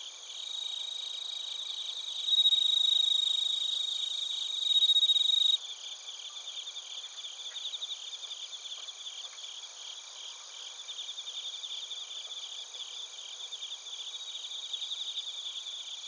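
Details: Bell crickets and other crickets at Narita, Chiba Prefecture, Japan, recorded with a TASCAM Portacapture X8. A loud ringing trill fills the first five and a half seconds and then cuts off. A softer chorus of quick, regular high chirps continues to the end.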